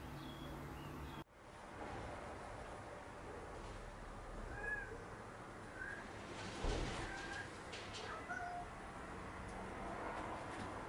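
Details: House cats active at night. A sudden bump opens the recording, then soft, short meows come midway over faint rustling and a low hum.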